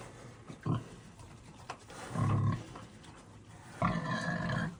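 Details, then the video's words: Farm pigs squabbling over food: low, rough grunts in three separate bursts, the last a longer, tonal squeal with stacked harmonics, over a murky background of shuffling. "Pigs make the weirdest noises when they’re fighting over food!"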